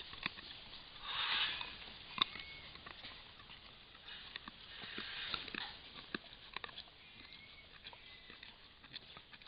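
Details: Camera-trap recording of a white-lipped peccary eating buriti palm (Mauritia flexuosa) in Brazil and checking out the camera, sniffing loudly in breathy bursts, with sharp crunching clicks of chewing between them.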